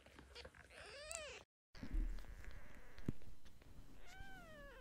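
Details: Kitten meowing indoors: two thin, bending meows, the first rising then falling, the second sliding downward, with soft thumps and rustling between them.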